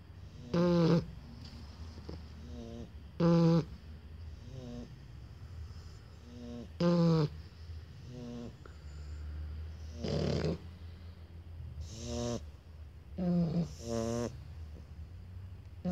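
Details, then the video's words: Two Shar Pei puppies snore in a duet. Short nasal snores come every two to three seconds, some with squeaky whistling tones, over a steady low rumble of breathing. "Shar Pei Puppy Duet"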